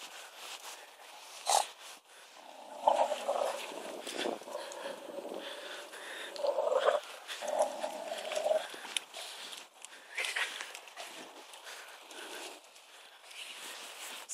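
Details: Rhodesian Ridgeback and Staffordshire Bull Terrier cross acting hostile toward cows, making drawn-out tonal whining growls in bursts around the third and seventh seconds, with sharp thumps, rustling and a man's voice.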